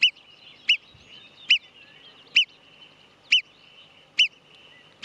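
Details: Marmot giving sharp, piercing whistles, each very short and loud, repeated roughly every 0.8 seconds in a steady series, above a quiet background hiss.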